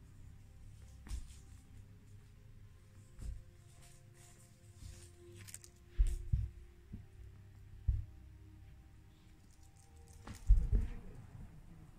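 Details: A quiet indoor room with scattered soft thumps and rustles, louder knocks near six, eight and ten seconds, and no animal voice.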